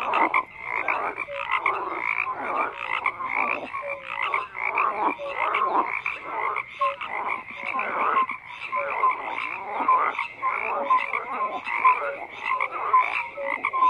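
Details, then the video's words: Frogs croaking in a thick overlapping chorus, grating pulsed calls swelling and fading in bursts, dotted with short higher tonal notes. "FROGS CROAKING"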